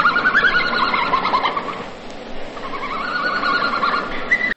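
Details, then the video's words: A red panda gives rapid, bird-like chirps and twitters in quick series, pausing briefly midway. "Naam. Hivyo ndivyo ambavyo Red Panda anatoa sauti yake na maana sauti hiyo ikiwa na mvuto wa pekee kabisa."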